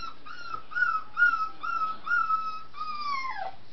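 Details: Scottish Terrier puppies in a crowded indoor puppy room holding 23 young Scotties: a run of about six high, thin whining squeals in quick succession, ending in one longer call that slides downward; faint room noise beneath.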